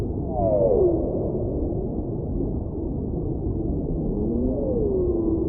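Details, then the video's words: A whale gives drawn-out descending wails at the opening and close, with a faint upward-bending tone in between, half-buried in a thick wash of deep underwater noise. "Whale Sounds"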